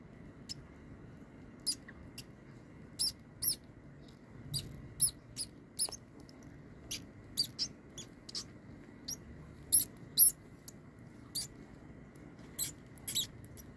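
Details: Baby mice being fed live to a king snake, giving short, sharp high-pitched squeaks in irregular bursts, some doubled, with quiet gaps between and a low indoor hum underneath.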